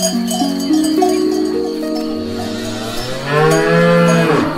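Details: Cows eating grass, several animals lowing together in long stepped moos, building to a loud arching call in the last second, with cowbells ringing in the background.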